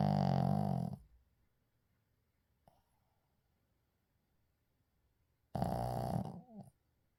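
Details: Shih Tzu named Uijung asleep, recorded unedited: a loud, rough, low snore lasting about a second, then near silence with a faint click, then a second snore of similar length that ends in a softer rattling breath.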